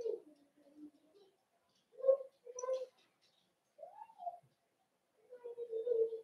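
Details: Cavalier King Charles Spaniel puppies in a home puppy pen, during socialization with several older dogs; short yips and whimpers, a rising-then-falling whine, and a sustained nasal whine near the end, separated by quiet gaps indoors.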